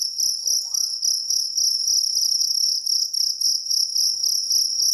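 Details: Jangkrik kalung cricket producing a shrill, high, rapidly pulsed trill that carries on steadily, with a brief faint rising tonal sound early on and light clicks behind.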